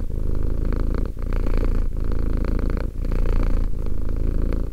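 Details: Two-year-old cat Romek purring: a deep, steady rumble that pauses briefly about once a second between breaths, with a soft buzzing overtone above the low throb.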